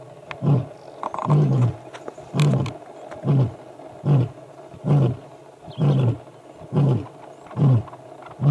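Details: Male lion on the airstrip road at MalaMala Game Reserve, a Northern Avoca male challenging the Gowrie males, ends its roar with a series of deep short grunts repeated roughly every second, fading slightly in force.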